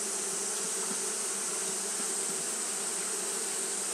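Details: Continuous buzzing of Japanese honey bees fanning during hot weather, a thick even drone layered with a high hiss, no pauses and no other animals or voices.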